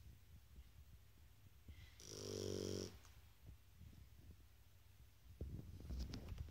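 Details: A sleeping Shar Pei dog snoring indoors: one loud, rasping, buzzy snore lasting about a second, low and harmonic with a hissy upper edge, between quiet breathing and faint room noises.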